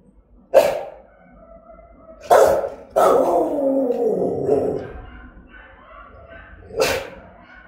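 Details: Aggressive, threatening Rottweiler barking: a single loud bark, then two close barks that trail into a long harsh, falling growl, and a last bark after a pause, with faint whining between.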